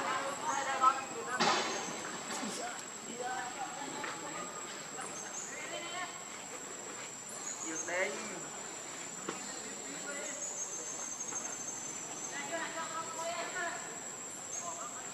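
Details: Pitiful crying from Lucie the baby monkey: scattered short harmonic whines and squeaks, loudest early on and fading into softer bursts, against continuous insect noise.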